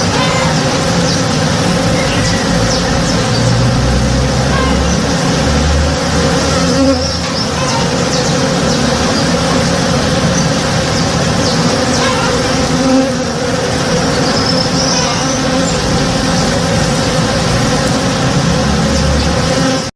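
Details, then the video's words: Honey bees working a flowering tree in a home backyard in the morning: a dense, steady, droning hum of many wings that holds without pause, layered low tones beneath faint scattered higher ticks. "Relaxing Sounds - Honey Bees (Real Sound)"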